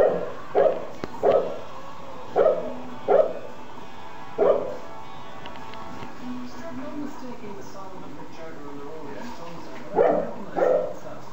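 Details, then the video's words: A dog barks in short mid-pitched bursts, mostly in pairs: two barks, a pair, another pair, a single bark near the middle, then a final pair after a long quiet stretch, over a steady low background hum. "Noisy Dog"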